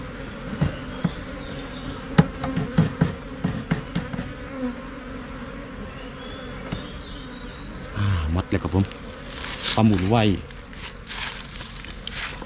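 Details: Asian honey bees of Thailand swarming into a new hive box: a constant deep hum from the crowded colony, with scattered taps and clicks early on, then a man speaking for a few seconds over the droning.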